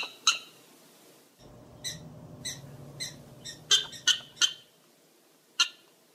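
Prairie dog giving sharp, high-pitched chirping barks at uneven intervals, with a faint low rumble behind.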